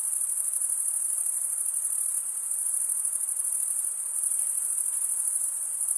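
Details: Crickets stridulating, a dense, unbroken high-pitched shrill trill that holds steady at a thin piercing pitch throughout, with a faint softer hiss lower down and no other voices or noises.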